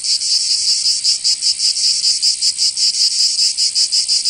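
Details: Cicadas singing in summer in Provence, southern France: a dense, harsh buzzing chorus pulsing rapidly, roughly three pulses a second, with slight irregular swells and no other sounds.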